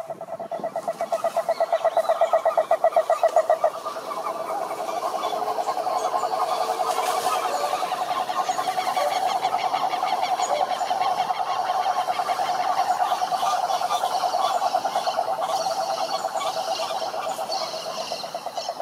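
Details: Cane toads (cururu toads) calling in a chorus at a lake in Brazil's Atlantic forest: overlapping steady pulsed trills at a mid pitch, one loud trill near the start, then a dense continuous drone from several toads.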